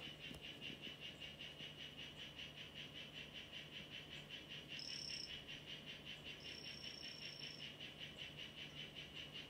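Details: In a terrarium, a Chazuta-form mimic poison frog (Ranitomeya imitator) makes two brief, high-pitched buzzy trills in the latter half, set against an unbroken background of regular pulsing chirps.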